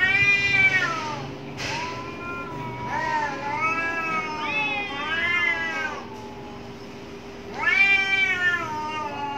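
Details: Fighting cats behind a house: strained, quavering yowls that climb and dip, a sharp click near the start, then a quieter spell before a final loud rising wail; low hum throughout.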